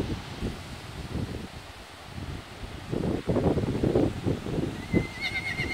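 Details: Horse whinny with a yearling Friesian Appaloosa and a mule present: a rough, pulsing neigh swells from about the third second for two seconds, then a thin, steady high tone sounds near the end over soft outdoor rustle.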